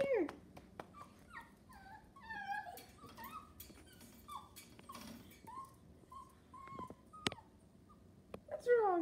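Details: Chihuahua whining indoors because it wants to go into the living room without going potty: a quiet series of short, high, pleading whimpers, some rising and some falling, with faint background hiss and a sharp click near the end.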